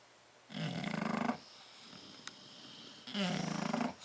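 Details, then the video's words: Sleeping bulldog in a crate, one of Tyson and Tyra, 30 October 2012: two gravelly, vibrating snores with a slightly rising buzzy pitch, separated by a quiet gap of about two seconds and a single small click. "Tyson and Tyra Bulldog sleeping and snoring in crate"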